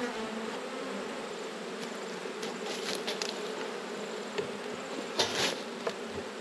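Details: Honey bees humming during an autumn inspection of a beekeeper's hives: a steady, dense, low buzz holds throughout, broken by a few sharp clicks and knocks of hive handling.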